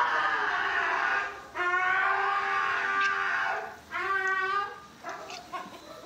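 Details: A Siberian Husky complains loudly while being groomed at the dog groomer, giving drawn-out, wavering, trumpet-like moans and yowls that sound like an elephant or a classroom full of kids.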